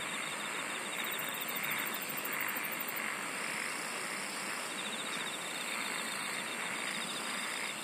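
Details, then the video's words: Many singing insects in a dense nature chorus: steady high buzzing bands with pulsed trills near the top, a continuous shimmering drone and faint rhythmic chirps underneath, no other clear sounds. "SINGING OF INSECTS"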